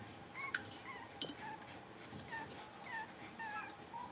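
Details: Blenheim Cavalier King Charles Spaniel puppies, a litter of five born at New Year, playing in a home puppy pen: short, high, whiny yips with falling pitch, about eight in quick succession, over a steady low hum.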